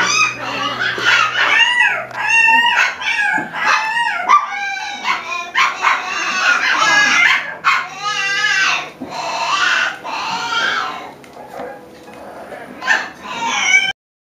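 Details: Five-week-old Alaskan Klee Kai puppies whine and yip in high, wavering, overlapping cries.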